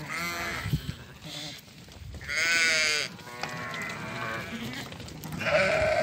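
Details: Ewes and lambs at a livestock sale in Doukkala, Morocco, where a flock of 50 ewes with their lambs is offered: overlapping quavering bleats, one long loud bleat in the middle, with men's voices behind.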